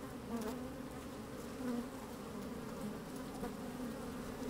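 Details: Honey bees working inside an opened hive on a fine, sunny day, microphone slid down among them: a dense, steady low hum with a stronger band near the bottom and brief louder swells as bees move about.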